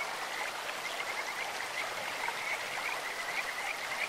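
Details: Kajika frogs along a clear stream: a rapid series of short, high, bird-like whistled notes, some in quick runs of four or five, over loud, steady flowing water.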